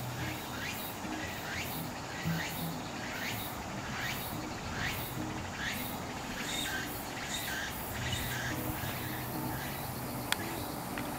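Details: Walker's cicada (tsukutsukuboshi) singing, a sound said to herald the arrival of autumn in Japan: rapid rhythmic series of short, sharp descending strokes repeated about twice a second over a steady low rumble of background noise.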